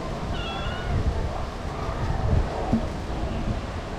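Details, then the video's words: Female street cat crying to ask for food, unable to eat dry food; one short harmonic meow near the start, then quiet, over a steady low rumble of traffic. "The female cat crying asking me for food"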